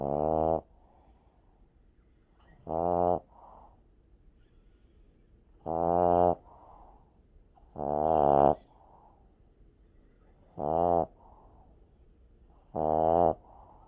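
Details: Sleeping puppy snoring steadily, six short buzzy snores spaced roughly every two to three seconds, each with a slight rising tone and a soft exhale after it.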